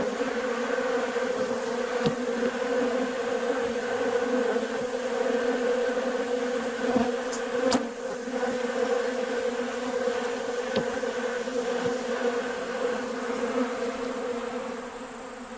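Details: Honey bees crowding a sugar-water bucket feeder on a nice warm day; sustained dense buzzing hum with stable tonal bands, scattered clicks, the drone easing slightly near the end.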